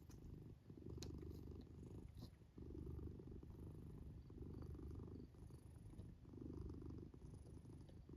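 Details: Sleeping black house cat tucked into a fort, snoring while it purrs; deep continuous rumbling rises on each breath and drops off in short pauses, repeating roughly every two seconds in a quiet room.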